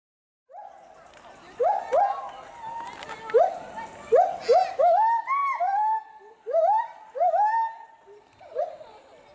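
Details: Agile gibbons Samuel and Duana, the resident pair at Bristol Zoo Gardens, Bristol, UK, loudly agitated by something seen in the bulrushes below. Rising, upswept hoots in irregular bursts, each bending upward with bright overtones, some overlapping in pairs.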